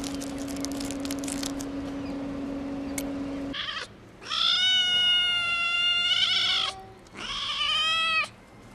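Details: Motherless kittens found on the street three days earlier, excited at feeding time as they see their caretaker; after a steady hum, two long, high, harmonic-rich meows followed by a shorter one ring out clearly.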